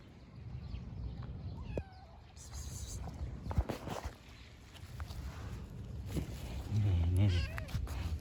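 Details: Homeless stray kitten on the street meowing as it does not want the person to leave; a few short, wavering, high meows stand out among Turkish speech and low, rumbling outdoor noise.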